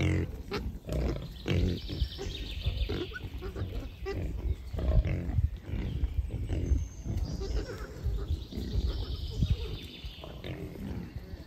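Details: In a beech forest, wild boars including a big boar with sharp tusks grunt low and gruffly in uneven runs, mixed with crackling leaf litter and soft distant birdsong.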